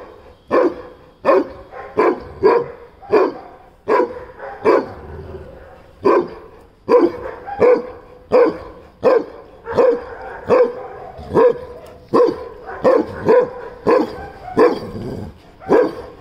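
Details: A Weimaraner standing up on his hind legs barks over and over at a Rottweiler, deep and loud, with short pauses between barks.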